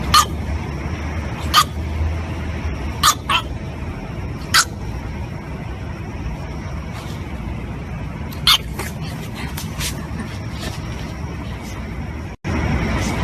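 A French Bulldog puppy lets out sharp, high yapping barks in scattered bursts during a tantrum.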